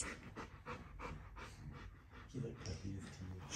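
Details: Bernese Mountain Dog panting while a baby grooms it indoors, rapid breathy bursts repeating roughly three times a second, with soft adult speech in the background.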